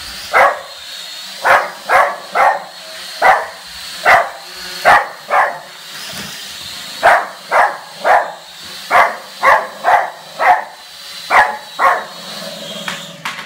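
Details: Barking at a drone, a dog fires off quick clipped barks in clusters of two or three across the whole stretch, with a faint constant high drone tone behind.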